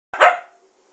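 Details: A female Siberian Husky gives one short, sharp bark to demand attention, not wanting her owner to play a video game.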